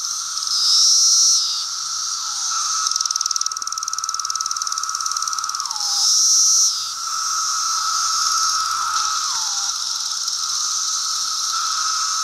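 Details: Brood II periodical cicadas, the 17-year brood, singing in apple trees in Virginia during June 2013: an unbroken buzzing chorus, with louder nearby calls that swell, hold, then drop in pitch, near one second and again near six seconds.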